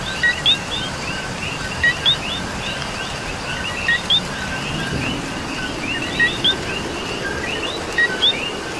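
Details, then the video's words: Coquis in rainy Puerto Rico: a close frog repeats a clear paired chirp, low then high and upswept, every two seconds or so, backed by a constant busy chorus of fainter frogs and a soft wash of rain. "Coqui and Rain"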